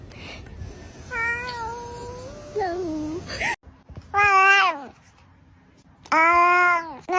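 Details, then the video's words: Domestic cat producing soft wavering meows followed by two loud arched yowls with gaps of quiet between them. "Cat sounds"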